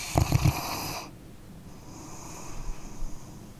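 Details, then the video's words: Snoring from a sleeping dog: one short burst of rattling, stuttering snore in the first second, then a faint whistly inhale and quiet breathing. "Dog Snoring Sleeping Canine"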